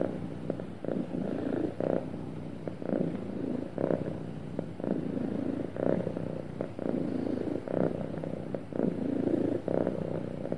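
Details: Contented pet cat producing a steady, smooth purr: a soft low rumble swelling and easing roughly twice a minute per breath cycle pair, each phase lasting about a second, quiet background.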